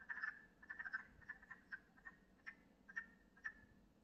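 Wood frogs give short, hoarse clucking notes, bunched at first and then spaced about half a second apart.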